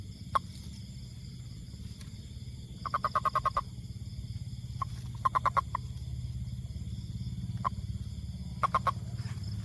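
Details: Toad producing short rattles of fast clicks, a few bursts of five or six pulses separated by quiet gaps, with occasional lone clicks and a steady low-pitched drone behind.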